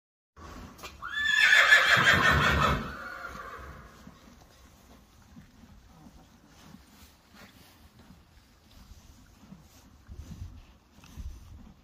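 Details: Friesian horse, one of a herd of 25, gives a loud neigh of about two seconds, a shrill rising start breaking into a shaky, descending whinny with rich harmonics, then quiet stable sounds and faint shuffling.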